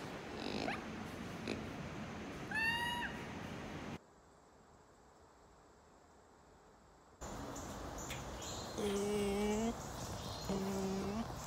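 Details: Lemur vocalizations from a set of species calls, used for predator alerts, warning rivals or keeping contact: a descending harmonic wail, a silent gap, then steady nasal harmonic calls held about a second, repeated twice, with background noise.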